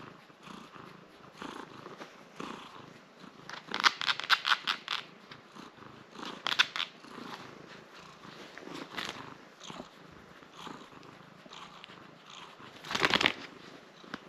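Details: Nala, a domestic cat in a cone while a scratch on her leg heals, purring as she gets a good scratch; steady low purr broken by loud bursts of rapid scratching and rustling.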